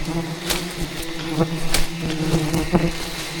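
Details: Thousands of aggressive wild bees defending their colony as a giant hidden hive is harvested deep in rainforest jungle; a steady low droning buzz with layered harmonics, broken by sharp knocks and cracks from the harvest.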